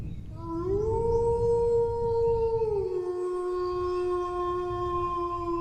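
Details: Dog howling in a long sustained tone that holds steady, then drops to a lower pitch near three seconds and continues smoothly, with low background rumble.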